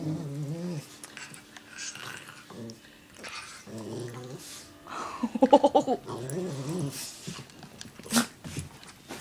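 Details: Playful growling from two pet dogs, a Miniature Doberman and a Norwegian Elkhound named Shadow and Stratis, roughhousing together; throaty harmonic growls come in repeated bursts, peaking in a rapid rough snarling run, with a human voice faintly heard.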